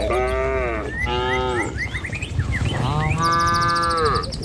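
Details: Herd of cattle driven along a village road toward their pen, past trees and rice fields; several drawn-out, harmonic moos, one long call near the end, over steady trampling and background noise with frequent chirping birds.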